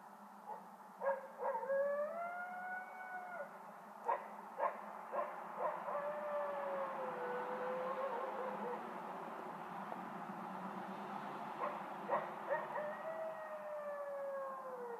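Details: A coyote howling outside a bedroom window, as it has for three nights, gives long, wavering notes broken by sharp yips over a steady low hum.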